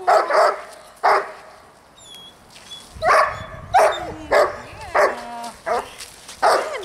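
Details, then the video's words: Dog barks used in distraction training for a young dog: a few barks, a quiet pause with faint high squeaks, then steady sharp barks about every half second, mixed with thin whining tones. "haukkuvan koiran häiriötreeni"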